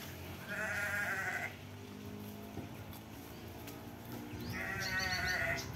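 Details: Garut sheep lambs, triplets about two months old: two long wavering harmonic bleats, one near the start and one at the end, with a lower continuous background hum between them.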